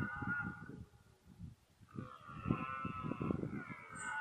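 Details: Red deer in rut, 2014, with mainly one fourteen-point stag: short deep grunting pulses under a long, higher moaning bellow that rises and holds, with a brief faint high whistle near the end.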